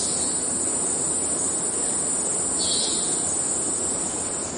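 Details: Cicada song from the Amazon forest in Venezuela, robot-like in character: a strong, continuous shrill drone dominates, with a single brief buzzy swell midway through and a low hiss of forest noise underneath.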